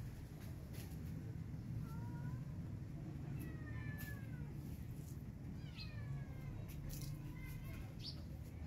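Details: Feral cat Maya calls for food while her kitten is missing, giving several short harmonic meows spread through the clip over a steady low rumble of background noise.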